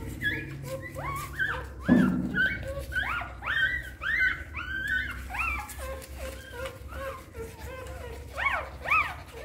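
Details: Hungry newborn puppies suckling at their mother dog's nipples give thin, high squeaks, each rising then falling, in a rapid overlapping series of about two per second. A single low thud sounds near the start, over a quiet indoor background.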